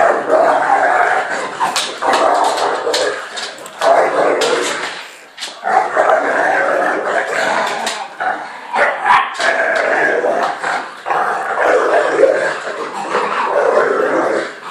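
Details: Rough play between a three-year-old American Bulldog named Fudge and Patch, a new puppy kept as her company. Rapid gravelly growls and snorting barks come in dense bursts, broken by short pauses around five and eight seconds.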